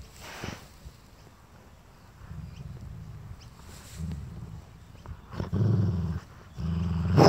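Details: Rhodesian Ridgeback named Barney growling at his owner to guard his toy: low rumbling growls in bursts that swell louder toward the end, with brief pauses between them and a few soft knocks and rustles.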